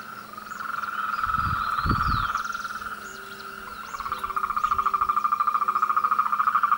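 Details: Chorus of frogs in the mating and courtship season, a fast pulsed trill running throughout and growing louder toward the end, with short low croaks and a few dull thumps early on.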